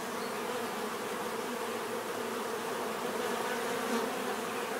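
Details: Many bees humming together in a steady, dense drone, a low hum layered with higher whining tones that shift slightly as individuals pass; no other sounds stand out.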